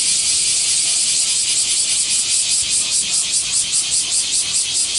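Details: A swarm of cicadas in Japan screaming together, a harsh high buzz throbbing in quick regular pulses, over two per second, with no other sounds standing out.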